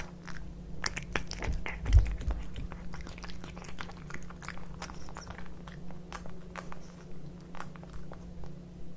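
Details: Kitkat and Leo, two house cats, chew tuna wet food in a small room: quick crunchy bites and moist chewing clicks, roughly two or three per second, one louder bite early, steady background hum.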